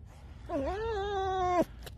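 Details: A tame fox gives a single drawn-out creaky, whining call lasting about a second, dipping then holding level with a harsh edge, ending abruptly; a man speaks nearby.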